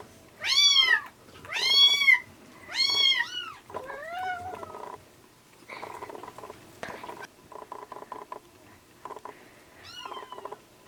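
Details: Rescued kittens being bottle-fed milk late in weaning: three loud, high arched meows about a second apart, then softer quick meows and a stretch of rapid clicking suckling noises, ending with one more meow.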